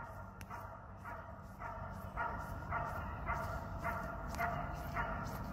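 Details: Ten-year-old Border Collie Kuzya during a festive birthday training session: a steady run of about nine sharp, harmonic barks, roughly two per second, with a trainer giving commands in Russian in the background.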